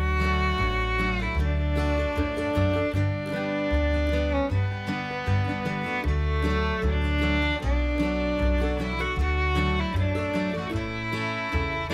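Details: Fiddle-led country-style music with guitar and a steady bass, and no animal sounds.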